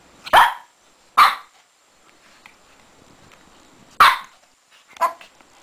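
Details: Six-month-old Shih Tzu puppy Lacey acting crazy while playing in her bed; four loud, sharp barks spaced unevenly across a few seconds, with quiet shuffling in between.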